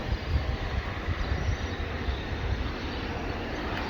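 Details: Low, steady rumble of a vehicle or train with no animal sounds heard.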